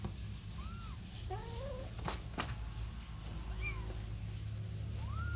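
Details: Domestic kitten with its mother: a few soft, scattered meows, one wavering and low, with clicks and handling noise and a steady low hum.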